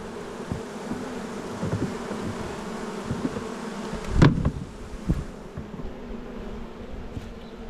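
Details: Honey bees in a Jirisan hive, Korea, as the colony is expanded from five to seven frames: a steady low buzzing hum throughout, interrupted by a loud clatter of frame handling and a few lighter knocks.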